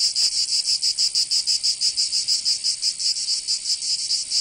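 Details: Cicadas in a southern French summer in Provence: shrill rasping song throbbing in quick, even pulses, several per second, continuous and loud.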